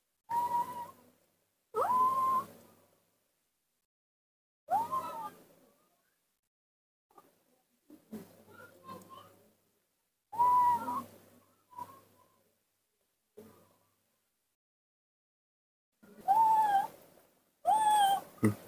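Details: Confused baby monkey named Nomi alone in front-yard dirt gives repeated whistled wails, some wavering or sliding downward, in irregular bursts with quiet gaps and faint softer murmurs between.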